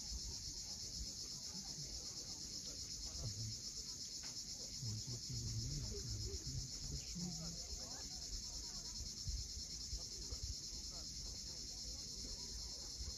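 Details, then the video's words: Cicadas at sunset on the steep coast of Cape Fiolent, Crimea: a steady, unbroken high-pitched buzzing drone fills the air, with a low rumble of waves beneath and brief faint bird notes. "Cicadas at sunset."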